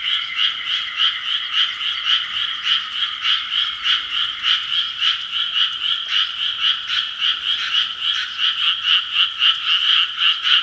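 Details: Frogs calling at 6 pm, a dense chorus of rapid, pulsed croaks repeating about three to four times a second, overlapping into a steady rattling wall of sound with two bright pitch bands.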